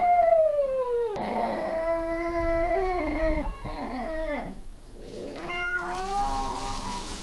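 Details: Female cat in heat giving a mating caterwaul: an eerie wail sliding downward, then long steady moaning notes that wobble and drop, ending in a quieter rising yowl.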